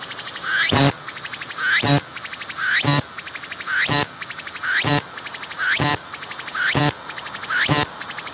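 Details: Singing cicada approached closely and recorded as it worked its abdomen; strong repeated phrases of rising ratcheting pulses capped by a sharp broadband buzz, eight in a row at just under one per second.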